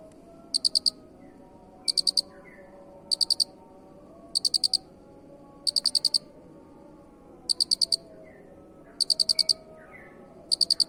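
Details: Cricket kept for its unusual song, used as a master recording for training: loud, high, pulsed chirps in tight bursts of about four to five pulses, repeated roughly every 1.3 seconds, over faint low background hum and a few soft bird notes.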